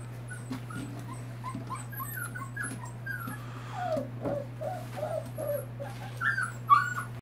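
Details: Four-week-old Maremma, Great Pyrenees and Tornjak cross puppies indoors, giving many short, high, thin whimpers and squeaks that rise and fall, scattered irregularly and growing louder toward the end, over a steady low electrical hum.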